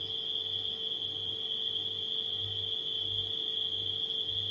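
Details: Nighttime crickets sing in a steady, high, unbroken trill, with a low refrigerator hum beneath.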